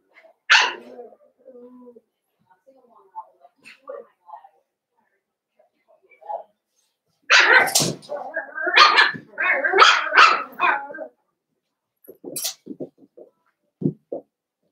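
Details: Blenheim Cavalier King Charles Spaniel puppies from a litter of five, born at New Year, in an indoor home pen. A sharp yap, then a rapid cluster of high barks and yelps, with a human voice also present.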